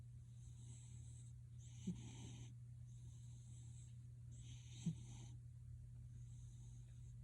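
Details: Domestic cat Gildong giving a man-like snore: soft, rasping breath noises roughly every three seconds, a faint click in some breaths, steady low hum in the background.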